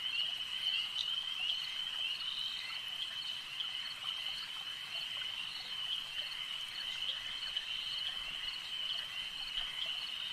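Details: Frogs at a lake calling en masse: loud, sustained high trilling that never pauses, many voices blended into one band, with occasional sharper croaking notes breaking through.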